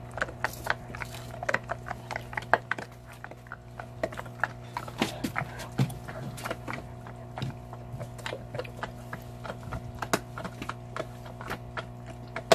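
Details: A large Belgian Malinois, a shepherd-type dog, gnawing on a cow bone, recorded close up for ASMR: dense, irregular sharp cracks and crunches, several each second, over a steady low hum.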